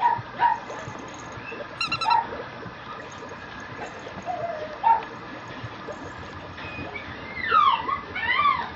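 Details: Young female Mame Shiba puppy at a Japanese breeding kennel whimpering: brief soft squeaks scattered through the first seconds, then a run of thin, high, wavering whines that bend up and down near the end, with light rustling between.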